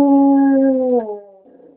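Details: Onyx, a pet dog howling at a passing fire truck near home, captured on a BlackBerry; a sustained, steady harmonic howl that drops in pitch after one second and fades into a softer, wavering tail.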